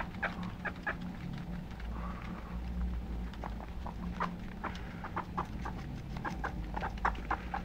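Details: Short, chirpy squeaks from pet guinea pigs repeat quickly in uneven runs, some brief and clipped, others slightly longer, with a constant low hum in the room.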